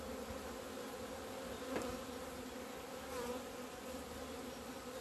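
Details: Honey bees from a kept colony emerging into the sun in mid-February 2020 after two months inside; a constant swarm-like hum, broken by two brief sharp clicks near the second and third seconds.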